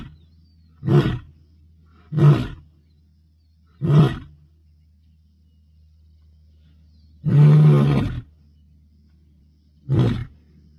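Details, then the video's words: Bilashaka male lion in the Masai Mara announcing dominance, 22 May 2025, ending a roaring bout with five deep bursts: quick grunts at uneven gaps and one longer roar near the end, with a steady low hum behind. "Bilashaka Male Lion Roaring announcing the Dominance"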